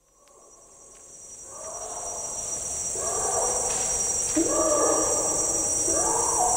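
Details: Distant adult male Bornean orangutan giving a long call in rainforest, bellowing sounds echoing eerily; the calls start quiet and grow louder, each a rising then level harmonic bellow, over a steady high insect drone.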